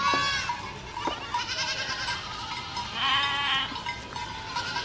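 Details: A herd of goats bleating together, overlapping wavering, nasal cries layered at different pitches, with short sharp calls breaking through near the start and a louder bleating burst around the middle.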